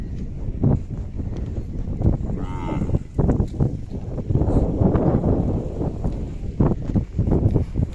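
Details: Khillar cattle at a village fair in Kole, Sangola taluka, Solapur district, India, held 18–22 May 2024, where young Khillar bulls and bullocks are for sale; a low, drawn-out moo rises over a busy crowd of men talking.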